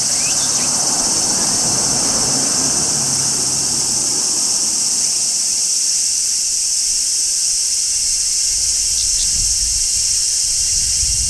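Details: Large brown cicada singing on a tree in midsummer, part of a summer chorus of shrilling cicadas: a steady, unbroken high sizzling drone throughout, with a low rumbling background fading out over the first half.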